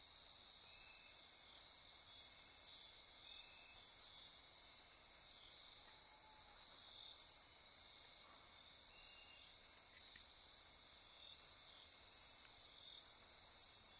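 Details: Rainforest insects calling after dark near Corcovado National Park, Costa Rica: constant high ringing trills layered over each other, with brief soft lower calls repeating every few seconds.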